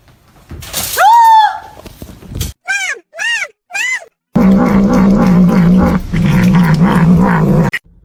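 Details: Cat in a funny fighting compilation: a loud high falling meow, then three shorter arched meows in quick succession, followed by several seconds of low rumbling growl-like sound.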